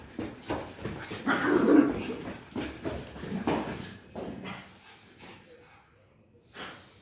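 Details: Pug playing: a run of snorting, breathy grunts and a brief whine, loudest early on and fading to near silence with one last snuffle.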